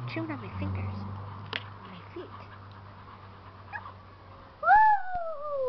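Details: Keeshond puppies. Soft shuffling and a low hum are heard at first, then one loud, drawn-out whine near the end that starts high and slowly falls in pitch.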